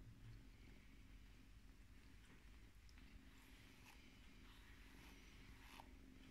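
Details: Scottish Fold kitten, a female born in Britain on 5 July 2018, being groomed with a brush; a quiet continuous low purr hums beneath short scratchy brush strokes and small clicks.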